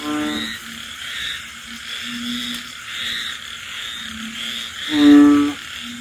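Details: Frogs croaking at night during rain in the countryside: soft low droning notes recur every second or so, then one loud, buzzy croak, over a constant high chorus of insects and falling rain.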